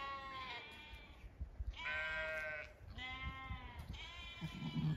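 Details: Zwartbles sheep, ewes with lambs in an orchard under evening sun in County Kilkenny, Ireland: three drawn-out vibrating bleats in quick succession, plus a short low call near the end.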